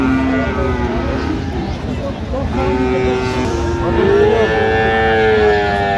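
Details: Cattle, Friesian and cross-breed bull calves, at the Aftabganj livestock market on 30 December, give several long, even moos, one swelling and bending upward midway, with people talking and market noise throughout.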